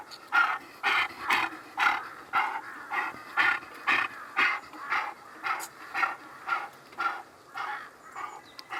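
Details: A captive snow leopard in Abbottabad, Khyber Pakhtunkhwa, Pakistan, makes steady, breathy huffs, about two every second, like heavy rhythmic panting.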